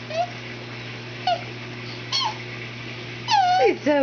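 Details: Nine-year-old female cat Pest, ignored by a toddler during dress-up play indoors, trails after her with brief mewing. A long drawn-out descending meow follows, then a final curling one, while a soft hum runs underneath.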